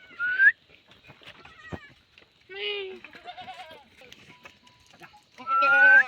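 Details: Himalayan goat on a goat farm in a jungle area of village Uttarakhand, India, giving loud harmonic bleats at the start, middle and end, with faint human voices and rustling between calls.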